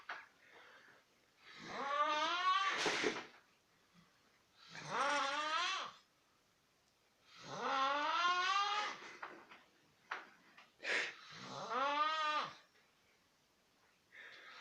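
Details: Ground squirrel snoring in a siren-like way: long harmonic wails that rise and fall in pitch, four main drawn-out bursts about two seconds each separated by quiet pauses, with brief breathy noises between.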